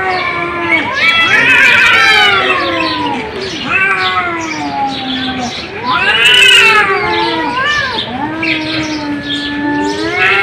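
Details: Cats meowing in drawn-out, wavering cries that rise then fall, several overlapping voices trading long yowls with brief gaps, one louder bright wail near the six-second mark.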